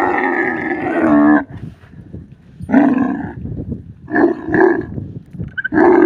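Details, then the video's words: Harsh bellowing roar from a desert camel, opening with a sustained call, then short gruff bursts and grunts, ending in another loud roar. "camel voice sounds"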